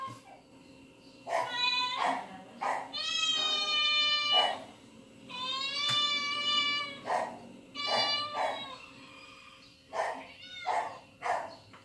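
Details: Pet cats listen to cats meowing on TV at home; a series of clear, loud meows, some long and steady, others short and rising, spaced irregularly, with sharp clicks and knocks between them.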